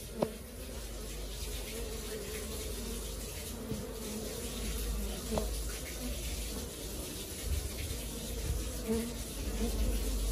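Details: Working colony of honey bees producing a dense, continuous low buzz that swells slightly in loudness, dotted with a few sharp clicks and individual bees droning close by.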